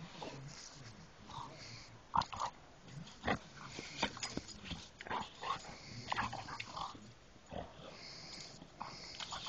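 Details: Dog giving a long run of short, broadband snorts and piggy grunts, uneven in spacing and loudness, with several sharp louder bursts and wheezing breaths between them.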